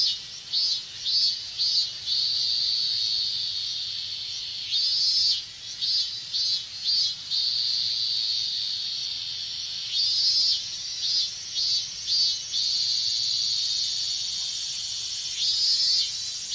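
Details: Minmin cicadas in a Japanese summer chorus, heard in hot weather: a steady high shrill drone broken by pulsed bursts in quick series, each group of pulses swelling then fading, returning about every five seconds.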